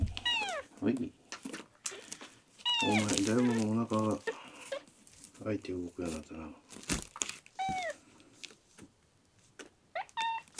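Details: Ten-day-rescued male red tabby and white kitten Miel, sick, dehydrated and not drinking milk, mews indoors at milk time: thin, high, downward-curving cries repeated several times, with a human voice speaking between them.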